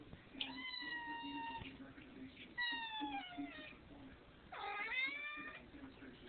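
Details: Hungry pet cat begging for food indoors just after being fed dinner; three drawn-out, harmonic meows spaced about two seconds apart, the last rising and more urgent, with a low steady hum underneath.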